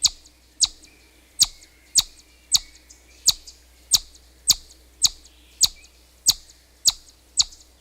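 A chipmunk gives sharp, high chips, repeated roughly every half second to second.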